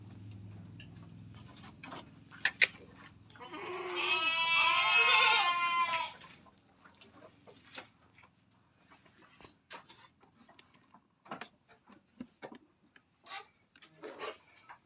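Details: Etawa crossbred billy goat letting out a single drawn-out, trembling bleat lasting about two seconds, followed by sharp clicks and tapping sounds.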